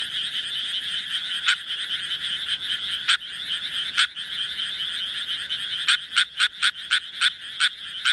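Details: Japanese tree frogs calling: a steady high chorus runs throughout, a few loud raspy croaks stand out early, then a quick series of sharp, evenly spaced croaks in the last two seconds.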